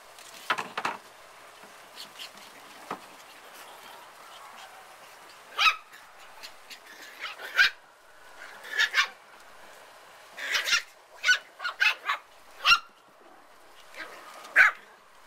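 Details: Puppies playing on their first time out, with scattered sharp high yips and short squeaky barks coming in irregular bursts, some clustered rapidly together, separated by quiet gaps over about fifteen seconds.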